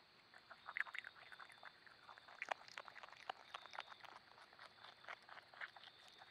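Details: Small opossum eating at night in a backyard once traffic and daytime noise have calmed: faint, irregular crunching and clicking bites scattered through the clip, with a steady high hum in the background.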